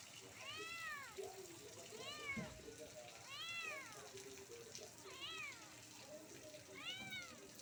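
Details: Kitten up a soursop tree meowing loudly, five arched, rising-then-falling meows spaced about every one and a half seconds, over a steady hiss and low background noise.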